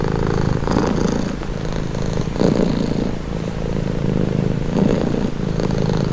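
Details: Relaxed house cat giving a low, vibrating purr that swells and fades with each breath, a steady rhythmic rumble about every second and a half.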